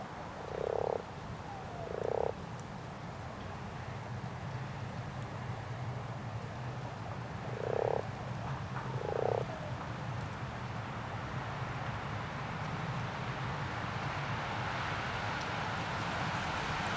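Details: Common frogs in a spawning pond give four short, purring, pulsed croaks, paired and a few seconds apart, followed by quieter stretches of breezy background noise.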